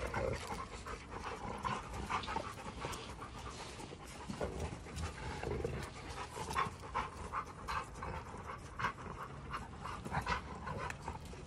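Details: Giant Schnauzers Garvey and Luther are locked in a real fight. Gravelly low growls mix with quick harsh panting and scuffling pulses that run steadily through the whole stretch.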